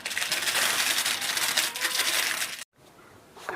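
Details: Loud crinkling and crushing of material indoors, then a brief cut of silence and quieter rustling; no animal voice is heard.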